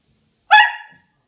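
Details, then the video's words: West Highland White Terrier 'talking' indoors after a Jack Russell ate its ball: one short, tonal, whine-like yelp of about half a second, sharp at onset and then fading, in an otherwise quiet room. "Naughty Jack Russell eats Westie's ball. Westie talking."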